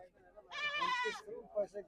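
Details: Goat at the Dhanaula goat market giving one strained, wavering bleat of under a second, followed by low murmured voices of people trading nearby.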